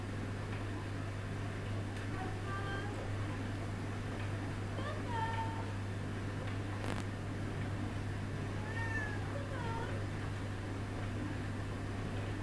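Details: Coco, a Siamese cat, opening a door with a little encouragement from his mistress on the other side, while Toby the Bull Terrier watches. Several short, faint rising-falling meows are spread across the clip over a steady low indoor hum, with brief human voices.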